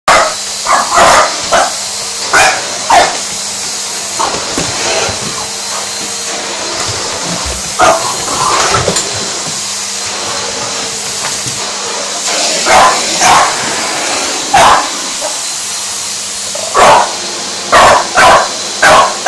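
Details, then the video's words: A French Bulldog named Indy barking at a running vacuum cleaner: short sharp barks come in bursts, some close together, over the steady whine and hiss of the vacuum motor. "Indy vs vacuum cleaner 2"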